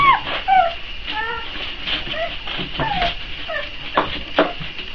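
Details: A litter of 4-week-old Boxer puppies whines while waiting to be fed: brief, high, descending whimpers in quick uneven succession, with a constant hissing noise behind.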